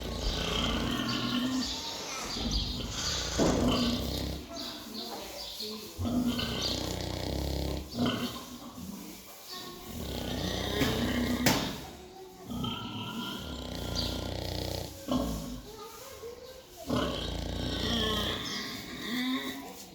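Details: A sleeping pig snoring during a short siesta: deep, rough, rasping breaths repeated in bursts of a few seconds each, separated by brief quiet gaps, with some noisy hiss throughout.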